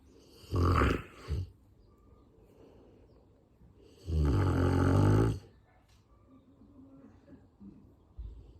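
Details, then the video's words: Sleeping Rottweiler snoring: two long, rough, rumbling snores a few seconds apart, the second lasting over a second, with quieter breathing between and a faint noise near the end. "Ротвейлер когда спит храпит"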